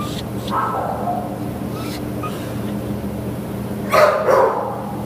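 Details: A small dog, a Lhasa Apso at a shelter awaiting adoption, gives a few short, sharp barks against a low steady hum.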